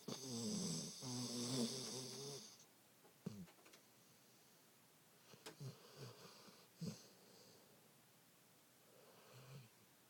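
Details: A dog named Joony snoring indoors: one long rasping, wheezy snore in the first two seconds, followed by quieter short snuffling breaths and snorts in a small, otherwise quiet room.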